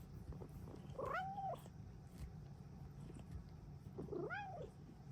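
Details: Happy Bengal cat meowing indoors in the morning: two drawn-out meows, each rising then falling, about three seconds apart, over a steady low room hum.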